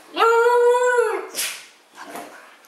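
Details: Siberian husky giving one steady, smooth howl of about a second that tapers off, followed by brief rustling and a faint softer sound.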